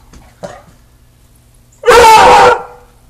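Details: A Beagle, a new dog, gives a single loud, drawn-out bark with a rich, hound-like baying tone like a Bloodhound, after being asked to bark.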